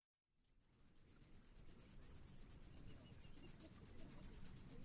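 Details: Insects, possibly crickets or grasshoppers, at Kennedy Space Center's LC-39A in Florida just before a Falcon 9 liftoff: a steady, high-pitched pulsing chirp, about six pulses per second, over faint low background rumble.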